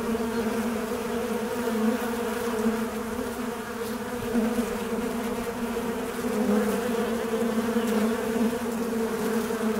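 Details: Continuous droning buzz of a fly, low and even, with its loudness wavering gently as the insect moves. Nothing else is heard.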